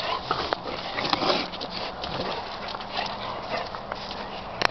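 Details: An 8-month-old Presa Canario vocalizing: rough, growly whines and grumbles in uneven bursts over constant background rustling and handling noise.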